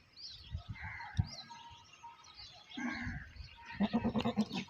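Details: Goats bleating: a tremulous, pulsing bleat of about six rapid wavering beats near the end, after earlier shorter bleats, with rustling and faint background noise throughout.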